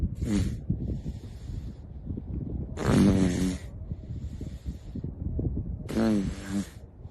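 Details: Playing seals: three separate throaty, harmonic groans, each lasting under a second, arrive roughly every three seconds over a low rumbling, breathy background.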